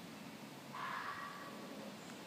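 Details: Female fox living in a neighbour's yard in the Maryland suburbs in spring, giving a single hoarse, drawn-out call just under a second long over a quiet background hum.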